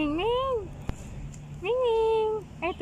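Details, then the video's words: Homeless cat meowing: two drawn-out, harmonically rich calls, each rising then sagging and trailing off, about a second apart, with the start of a third at the end, over a low background hum. "Helping the Homeless Cat"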